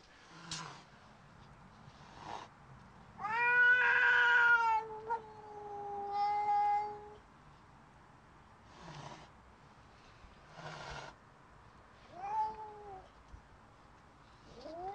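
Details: Loki, a pet cat defending her space against a neighbouring cat through a window, gives drawn-out wailing howls, one rising loud then sagging into a steady tone, later shorter falling moans, with knocks and scuffs between.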